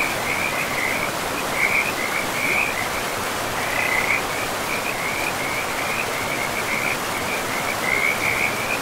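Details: Frog chorus beside a forest river among moss-covered ground: short high trilled bursts follow one another almost without pause throughout, set against constant broadband water noise.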